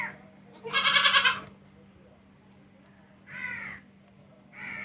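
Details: Goat lets out one loud, shaky, pulsed bleat lasting about half a second, then two softer, shorter bleats after a quiet pause.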